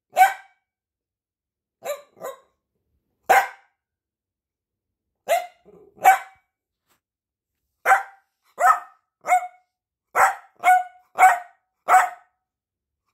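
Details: Piebald Dachshund named Peanut barking to get attention: sharp, high single barks spaced unevenly, first sparse and then quickening into a looser run of about a dozen yaps, with quiet gaps between.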